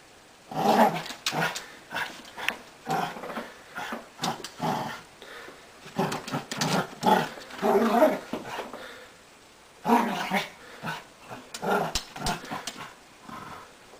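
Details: Tiny beagle and wheaten terrier locked in a tug-of-war, trading rough growls and grumbles in uneven bursts with brief pauses between rounds.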